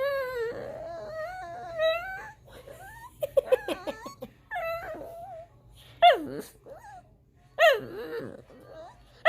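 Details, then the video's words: Pet dog crying indoors in a small room, a series of high, wavering whines and whimpers that rise and fall in pitch, with short sharp yelps near the end; soft music plays in the background. "CRYING DOGGY"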